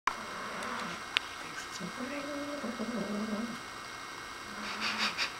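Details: Nigel the dog growls at a new toy he thinks is alive: a low, tonal, drawn-out growl that wavers in pitch for about two seconds mid-clip, then a shorter one near the end, with faint room noise and a brief click.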